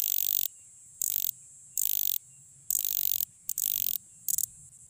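A cricket gives loud, shrill trilled chirps in bursts of about half a second, repeated roughly every second.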